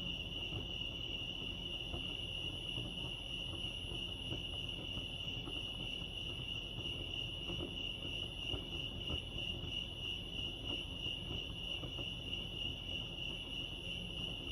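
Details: Steady cricket chirping at Lake Arrowhead in California: rapid, regular high pulses forming one continuous shrill tone, set against soft low ambient noise.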